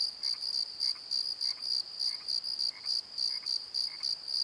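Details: Crickets calling at night in a valley bottom near a tree, filmed on a Nikon D7100: a high, ringing chirp in short pulses repeated several times a second, with fainter lower chirps beneath.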